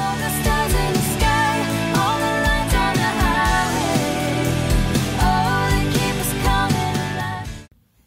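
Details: Upbeat pop-style music with a steady beat and melodic lines plays, then cuts off into silence just before the end, with no animal sound.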